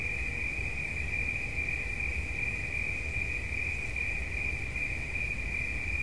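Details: Cricket offered as relaxation sounds: one steady, unbroken high trill with a fine pulsed texture holds a single pitch throughout, over a constant low rumble.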